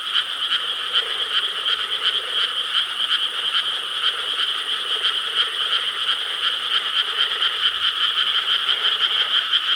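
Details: Frogs in Korean rice paddies on a summer night, 4 July 2013, massed croaking in a strongly pulsed chorus, roughly three throbbing beats a second, steady and loud.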